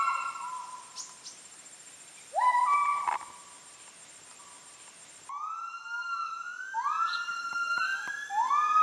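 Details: Müller's gibbons calling loudly enough to carry kilometres through Heart of Borneo rainforest, Kapuas Hulu: scattered rising notes, a quiet gap, then an abrupt cut into dense overlapping upswept whoops from several gibbons with sharp clicks.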